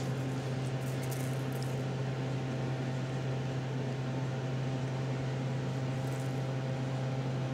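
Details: A steady low mechanical hum, like a fan or appliance running in a small room, continues throughout with no animal sounds.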